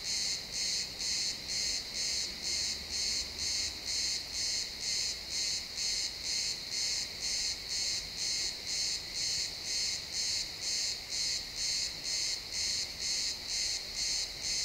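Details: Pine forest at sunset with a cricket giving steady, evenly spaced high chirps, roughly two each second, sustained throughout in an XY stereo field recording; a soft low woodland hum beneath.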